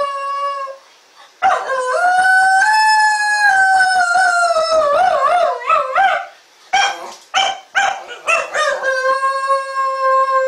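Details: Shetland Sheepdog named SHAQ that has just begun howling. A sustained, tonal howl with rich harmonics rises, holds, then wavers and wobbles in pitch. It breaks off into short yelping segments before settling into a steady, lower-pitched howl.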